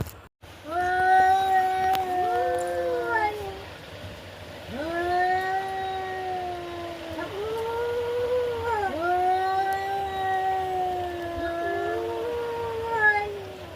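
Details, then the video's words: Cats fighting: long, drawn-out wailing yowls, each held for several seconds with a slight rise and fall in pitch. Overlapping voices trade off and sound like a crying baby, with short breaks between bouts and faint background hum. "এরকম বিড়ালের ঝগড়া করা দৃশ্য"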